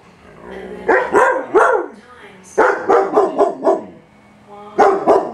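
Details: German Shepherd with a shepherd/husky mix, attacking the vacuum, giving loud, harsh barks in quick bursts of two to five, with brief pauses between bursts and a faint background hum.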